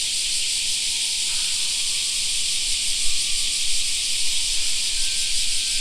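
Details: Cicadas sing in a summer park: a dense, steady, high shrill drone with a faint rapid pulsing, unbroken throughout. Faint thin tones and low rumble sit beneath.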